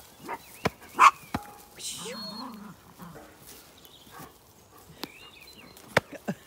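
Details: Zwartbles lambs being fed breakfast one early-summer morning on a County Kilkenny farm in Ireland; a wavering, tremulous bleat sounds midway, among sharp clicks and a man's voice urging them on.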